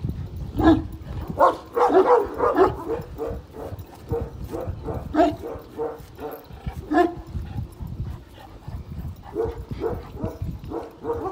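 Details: At a Kangal dog farm, one-year-old Kangal Pars stands up to the giant Samuta. Scattered gruff barks are loudest early on, then quieter, spaced barks follow.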